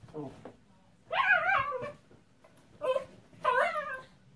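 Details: Caspi, a Miniature Pinscher, indoors after rain while being dried off, gives wavering, high whines in short bursts, with a softer whimper at the start and faint low background sound.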